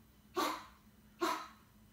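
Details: A white Pomeranian puppy gives two short, high, sharp barks about a second apart.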